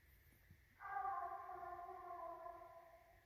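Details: A Redbone Coonhound, one of two dogs tracking and treeing a raccoon on a night hunt on 9 November 2019, gives a long, steady, drawn-out bay.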